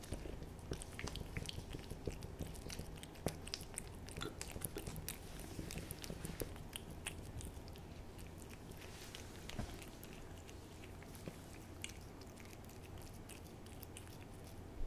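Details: Cat eating a Ciao Churu lickable treat, close up: a steady run of wet, sticky clicks and smacking licks, dense and fast, with chewing noises throughout and no calls.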